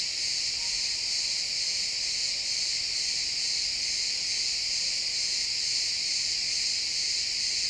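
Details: Pine forest woods at sunset filled with chirping crickets: a continuous bright, ringing insect trill of fast overlapping pulses, steady from start to end, captured as a stereo XY recording.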